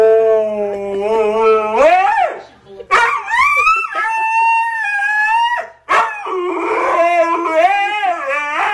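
A husky howls in long, wavering tones that rise and fall like singing.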